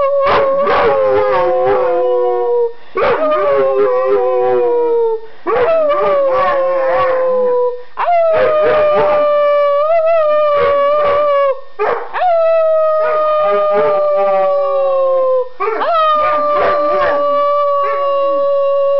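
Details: Dogs join people in a chorus of howls, a series of sustained, slightly falling tones each lasting two to three seconds, broken by brief pauses and overlapping voices with rough, yipping edges.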